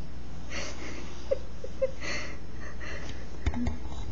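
A bull terrier snores with low, rumbling breaths and soft wheezy exhales in a quiet room.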